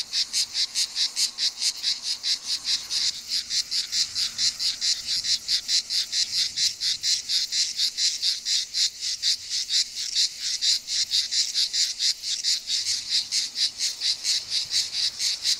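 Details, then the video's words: Singing male grey cicada (Cicada orni) at Mecina Bombarón, Andalucía, Spain, on 7 July 2022, gives a rapid series of harsh, rasping pulses, about two each second. "Cicada orni, singing male"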